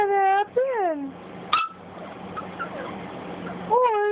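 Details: Boston Terrier puppy Cj talks to its owner with a wavering, sliding whine that dips then falls away. A quiet gap with faint murmuring follows before a sharp yelp-like note and another whine at the end.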